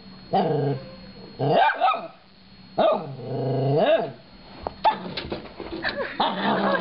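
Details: Little male Shorkie, a pet dog indoors, giving drawn-out whining howls that rise and fall in arching sweeps, four long cries in a row followed by choppier yelping whines.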